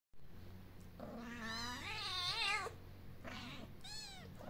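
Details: Kitten living outdoors with its mother among formerly abandoned cats sheltered in an insulated wooden box, hugging her mom; a long wavering, harmonic-rich meow rising and falling, then two shorter, higher meows, over a low steady hum.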